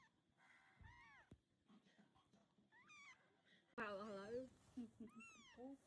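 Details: Farm cat family, the mother moving her tiny kittens one by one; thin, high, arched mews repeated every couple of seconds, one louder burst mid-way, soft speech and handling noise beneath.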